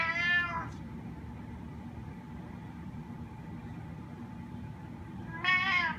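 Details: A spotted snow Bengal cat gives two drawn-out, rising-then-falling meows, asking to be let outside.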